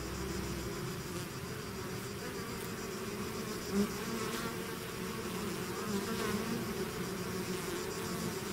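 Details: Swarm of bees pouring out of its hive, a dense steady drone of many wings with low humming bands and a brief louder swell near the middle, continuous throughout.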